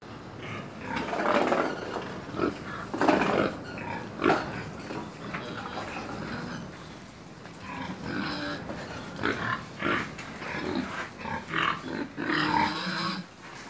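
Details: Pigs and piglets on a farm in Georgia, giving harsh broadband grunts and squeals in irregular bursts over about fourteen seconds, with short gaps between calls and faint background voices.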